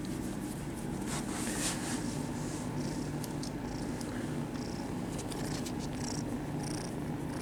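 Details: Kittens at a cat cafe purring steadily while being petted; a continuous low rumbling drone with scattered soft high rustles and brief hissy bursts above it, likely fur being stroked.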